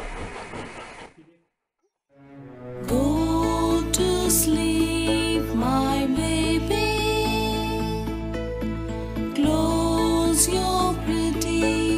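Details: Loud upbeat music with a steady beat and melody after a brief fade and pause, and no animal voice.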